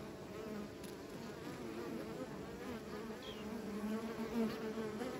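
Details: A low buzzing hum of bees, overlapping wingbeat tones wavering up and down, growing slightly louder toward the end with one short higher whine midway.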